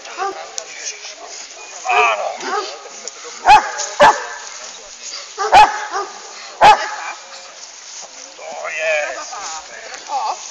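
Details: Female Hovawart: four sharp, loud single barks spaced about one to two seconds apart midway through, between stretches of a person talking and praising.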